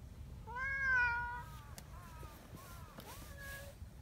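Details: Affectionate community cats on a cold morning at their mountain-path gathering spot; one full, bright meow opens, then several shorter, softer chirping mews follow over quiet background hiss.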